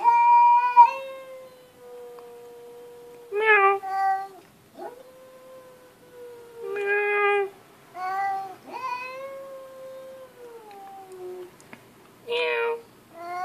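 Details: House cat meowing in a chatty, human-like manner: several long, level, tonal meows mixed with short sharp chirping mews, spaced irregularly over about thirteen seconds in a quiet room.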